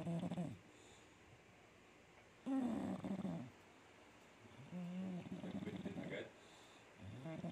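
An English bulldog snores loudly, with deep rumbling breaths that rise and fall every few seconds.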